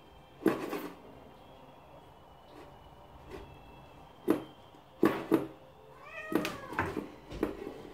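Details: Cornish Rex kittens giving a short, high harmonic meow near the end, preceded by several sharp knocks and taps in a small indoor room.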